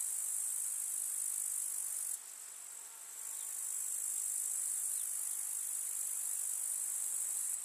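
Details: Grasshoppers in a summer meadow in the countryside, among wildflowers: a dense, continuous, high-pitched shimmering chorus. Around the two-to-three-second mark it briefly thins and dips in loudness, then swells back to full strength.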